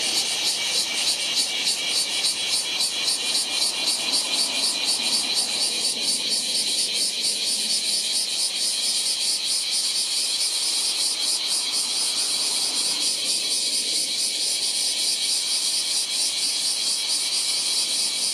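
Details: Large brown cicada calling in July: a dense, continuous sizzling drone with fast, steady pulsing throughout, loud and unbroken, over a faint low rumble.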